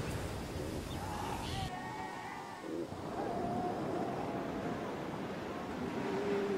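Walruses in a colony give drawn-out, moaning tonal calls over a steady wash of surf.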